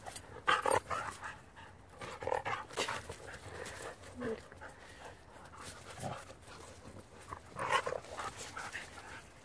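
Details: Siberian Huskies, two males and a female, playing outdoors as light snow falls; faint short whines and yips in scattered bursts with soft panting and a quiet human voice.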